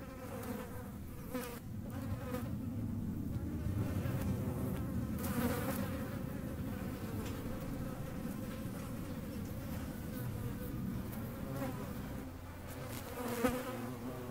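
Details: Continuous droning of a hornet on the wing, low and rough with layered overtones, swelling and easing in loudness over about fourteen seconds, with faint scattered ticks above.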